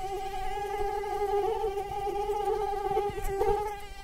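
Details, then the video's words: Whining mosquito flight tone: a constant, buzzy hum with bright overtones that swells a little around the middle, over low background rumble. "Mosquitoes Sound Effect"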